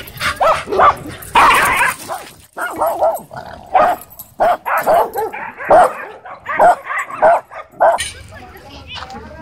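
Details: During a dominance tussle at a dog park between a Dwarf Staffordshire Terrier and an American Bully, short barks and growly yelps repeat irregularly, roughly one or two each second, over background chatter from people.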